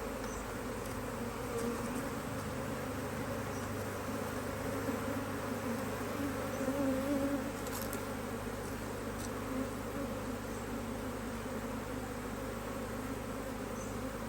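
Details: Strong honey bee colony in a Hive IQ beehive in Australia, mid-Autumn 2023, in beautiful weather as the hive is opened to add another box; a continuous low buzzing drone that swells midway, with faint clicks and handling noises.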